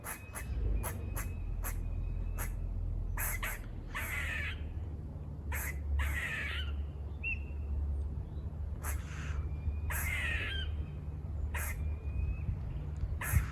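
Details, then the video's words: Squirrels near a farm, climbing and running off, give rapid sharp barks in quick irregular bursts, mixed with several rasping buzz-like calls, over a steady low rumbling hum. "Squirrel barking calls// Squirrel noises// Squirrel buzzing sounds"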